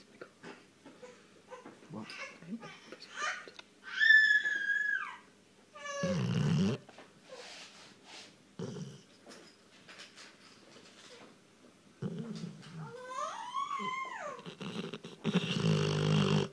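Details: A female Rottweiler snores loudly in low, rumbling bursts broken by high, squeaky nasal whistles, her snore flap visible.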